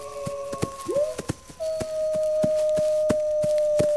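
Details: Wolves howling with a short upward-sweeping note, then one long level tone held steadily to the end. A second fainter voice sits above it, and regular sharp clicks tick in the background.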